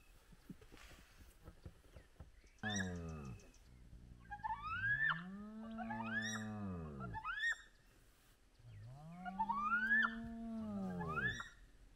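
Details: Spotted hyenas of a large clan at their den with active cubs, sunrise: several loud harmonic calls rising then falling in arched sweeps, overlapping, with higher squeaky whoops above, about five calls in twelve seconds, birds chirping faintly.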